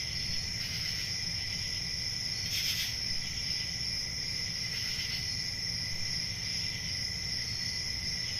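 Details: Summer-night forest crickets sustaining an unbroken shrill trill at several stacked pitches, one louder shimmering burst near the middle, with a faint low hum underneath.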